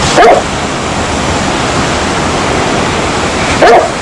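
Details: Single dog barks spaced far apart, one at the start and one near the end, separated by several seconds of constant broadband hiss like a waterfall.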